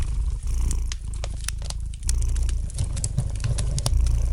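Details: Gentle purring of a domestic cat near a crackling fireplace, a continuous deep throbbing hum with a brief pause midway, overlaid by bright, irregular snaps and pops of burning wood.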